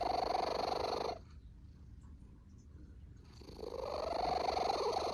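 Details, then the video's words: A cat snores in its sleep: a rough, buzzy breath fades out, then two seconds of near silence, then another drawn-out rasping snore slowly builds again. "Cat Snoring Issue"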